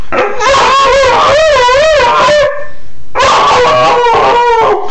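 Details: Male Siberian Husky 'singing' while its owner plays with and teases it: long, loud, tuneful howls with wavering, rising-and-falling pitch in two sustained bouts, the first about two and a half seconds and the second nearly two.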